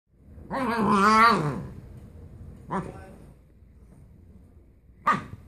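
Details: Siberian Husky named Ghost talking: a long wavering, moaning howl-like call with bending pitch, then two short yelps about two and four seconds later, with quiet room background.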